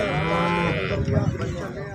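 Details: Holstein Friesian cow kept for sale gives one short, low moo lasting under a second, steady in pitch before dropping away, then faint indistinct background noise.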